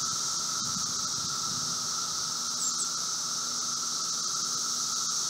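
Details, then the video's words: Emerging Brood V seventeen-year cicadas in Logan, Ohio, June 2016, mid-afternoon: an even, continuous roar with a hissing upper band, and soft low rumbling early on. "Audio: Brood V 17 year Magicicada periodical cicadas in Logan, Ohio"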